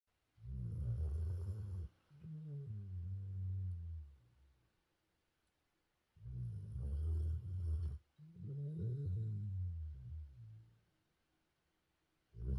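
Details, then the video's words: Golden retriever named Jinju in Busan, deep asleep, snoring loudly: low rumbling snores with a ragged, growly texture, each lasting about two seconds, in pairs with short quiet gaps between breaths. "장군감이네..한잔한것같애..ㅋ 부산 리트리버 진주"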